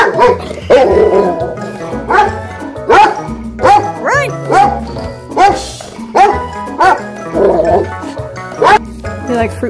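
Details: Pet Black Lab and Golden Retriever mix dog at play indoors, barking repeatedly in sharp single barks roughly every second, some with a short whiny rise, over continuous background music and a person's voice.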